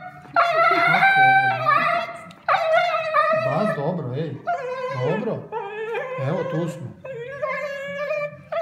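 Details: Siberian husky after anesthesia, vocalising in a mix of short howled notes, whimpers and yips that rise and fall, with uneven pauses and a low background hum.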